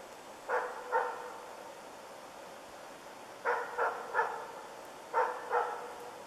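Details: Barking from Ukonvuoren Diesel during moose dog training, among its first contacts with moose: three short volleys of two or three sharp barks separated by pauses of a few seconds, over steady faint hiss.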